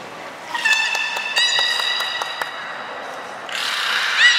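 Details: At Port of Nagoya Public Aquarium, belugas Gray, Nana and Niko in training on 14 October 2019. A buzzy harmonic tone carries a rapid train of clicks, then a burst of hissy broadband noise.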